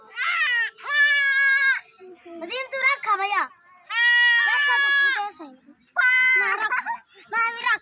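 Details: Four baby goats call in loud, drawn-out bleats with a trembling, buzzy quality, each near a second long, separated by shorter stuttering bleats and brief pauses.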